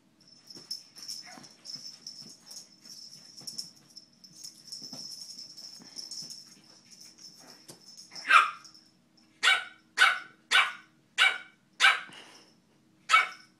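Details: Boston Terrier puppy about three or four months old, acting tough: quiet shuffling at first, then a series of short, sharp, high barks roughly every half second to second near the end, indoors.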